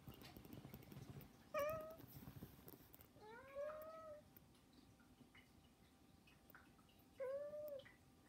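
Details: Begging meows from indoor pet cats, recorded without music; three separate meows, one short and rising, one longer with a rising start, and a final level one, with faint rustling in between.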